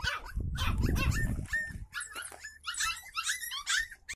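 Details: West Highland White Terrier uttering short yaps and whining, whimper-like notes, with a loud low rumbling noise during the first second and a half, then clearer high yelps.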